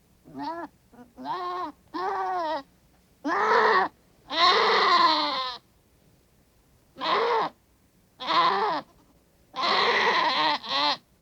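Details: Goat distress calls, described as more urgent, higher pitched and rapidly repeated than ordinary bleats and signalling trouble: a run of about ten harsh, wavering, harmonic-rich bleats of varying length, some drawn out, separated by short gaps.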